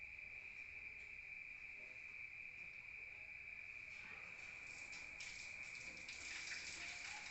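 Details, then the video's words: Rural crickets calling at night, heard from indoors: a continuous high, even trill runs throughout, while from the fourth second on, hissing bursts of broadband noise rise over it. "Rural Nature Sound of crickets at night heard from outside"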